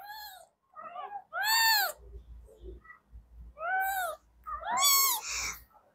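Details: Several kittens meowing at once: high, arching meows that rise and fall, about five overlapping calls in six seconds, with soft rustling between them.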